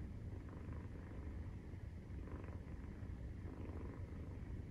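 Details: Nursing-time purr from a Maine Coon cat, 43 days after birth: low, unbroken throbbing rumble with a faint breathing rhythm swelling and easing about every second or two.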